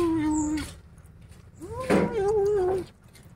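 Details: Angry kittens growling when disturbed while eating a rat: a steady, low, droning growl held for about half a second, then a longer growl that rises, wavers and slowly falls over about a second, with quiet room noise between.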